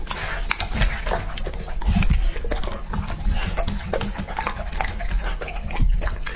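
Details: Male English Labrador Retriever Lucky, two and a half, gulps raw meat; rapid clicking crunches and wet smacking chews run continuously with low-frequency thumps throughout.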